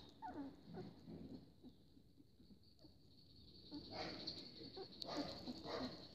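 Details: Litter of Siberian Husky puppies born 4 July, eight males, black-and-white and chocolate, just beginning to open their eyes at a kennel; short high squeaks and whimpers in bursts, quiet pause midway, steady background hiss.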